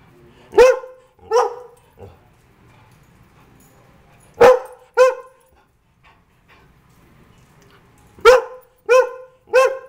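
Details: Greyhound at home giving sharp, ringing barks in bursts of two or three, with pauses of a few seconds between bursts and quiet background.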